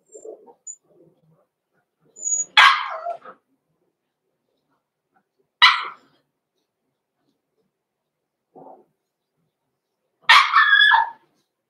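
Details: Blenheim Cavalier King Charles Spaniel puppies, six weeks old, in an indoor pen; three loud, harsh barks spaced a few seconds apart, with quiet low whines and brief high squeaks between them.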